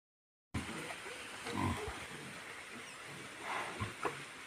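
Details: Wild boar on a mountain with her young giving short, rough grunts and snorts over a steady background hiss.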